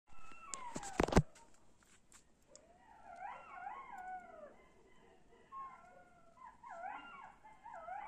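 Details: In the dark of night, a sharp knock or clatter is followed by a group of jackals howling in high, quavering wails that slide up and down. The voices overlap in bursts, fading and then swelling again into a chorus.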